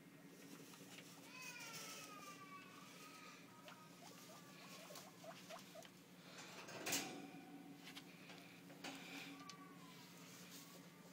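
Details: Two pet guinea pigs, male Kiba and female Lily, in a freshly cleaned cage. They give faint rising whistled squeaks, a quick run of short upturned chirps midway, a sharp rustle near the middle and more rising squeaks near the end.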